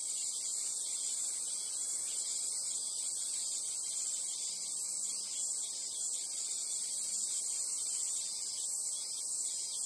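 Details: Japanese cicadas in summer at the Imperial Palace, Chiyoda City, Tokyo, fill the air with a steady, high, hissing buzz that never pauses.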